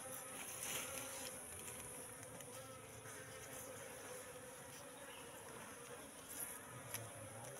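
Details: Buzzing of a wild Apis cerana colony in a three-month-old trap box during a comb inspection; a softer, steady drone broken by a few short clicks and taps.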